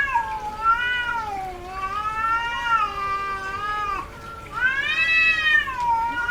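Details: Domestic she-cat in heat giving continuous wavering caterwauls, long sliding harmonic wails that dip and swell, one call running into the next, closing with a louder rising howl.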